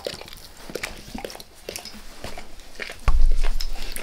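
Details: Dog licking its owner's face in a small room, wet tongue smacks and slurps in quick irregular bursts, followed near the end by a louder low rumbling thump.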